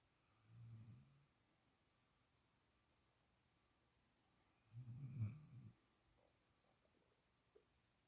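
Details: A sleeping puppy, female, snores softly indoors: two low rumbling snores about four seconds apart, the second louder, then faint rustling.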